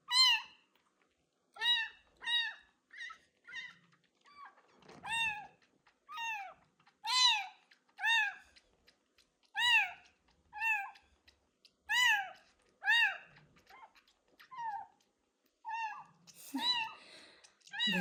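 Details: Abandoned street kitten with ringworm meowing loudly through its first medicated bath: a long run of short, sharp, high meows, each slightly arched, coming in quick irregular bursts roughly every second, with faint splashing beneath.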